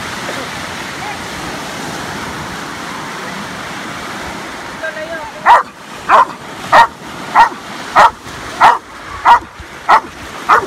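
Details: Belgian Malinois rescue dog barking: after about five seconds of quiet background, short sharp barks repeat steadily, roughly one every 0.6 seconds, nine in a row.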